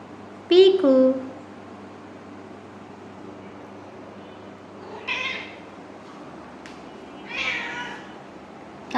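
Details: Kittens meowing for attention from their owner: a sharp, high meow that falls away, then two softer, higher meows several seconds apart, with a woman speaking Bengali between them.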